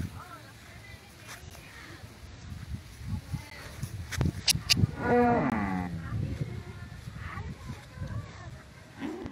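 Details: Kangayam cattle of the Mayilai (white) type, a mischievous animal, outdoors in a rural setting: one harmonic, slightly falling moo lasting about a second mid-clip, with human voices and clatter around it.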